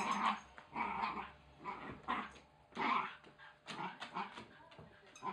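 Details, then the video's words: Oscar, a Wire Fox Terrier puppy, growling while tearing at his chicken toy in play; rough, throaty growl bursts come in uneven pulses about every second, each with a raspy, breathy edge, and short quiet gaps between them. "Wire Fox puppy VS chicken toy!!"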